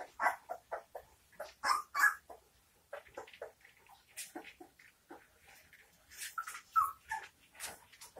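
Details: Nineteen-day-old St. Bernard pups squeaking and whimpering in quick, irregular bursts, several voices overlapping, with louder clusters at the start and near the end and a quieter stretch in between.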